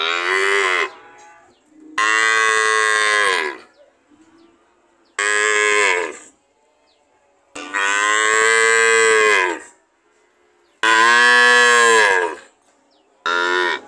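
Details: Cow (Bos taurus), moo.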